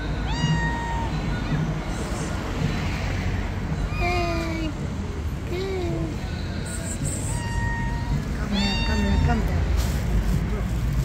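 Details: A hungry black cat gives spaced, drawn-out meows, some bending downward, others level and high, roughly every two seconds, over continuous low-frequency noise.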